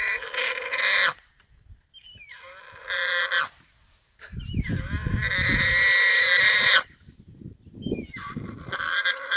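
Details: A large warthog caught and held by a big male leopard, struggling as it wrestles. It gives loud, harsh, drawn-out squeals in several bursts, broken by short silences, with low scuffling rumbles in between.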